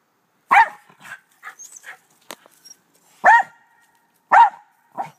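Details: In a back yard with two white Rat Terriers, the black terrier Doe gives a loud bark, a few softer yips and huffs, then two more strong barks about a second apart and a final quieter one.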